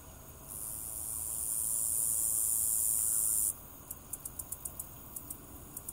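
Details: A meadow katydid gives its mating call from its wings: a long, very high, hissing buzz, then a run of sharp, quick ticks.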